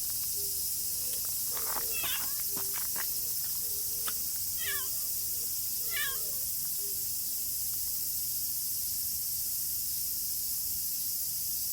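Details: Stray tortoiseshell cat waiting out the rain under cover. Several brief, wavering meows come in the middle section, a few seconds apart, set against a continuous roar of rainfall and some tapping.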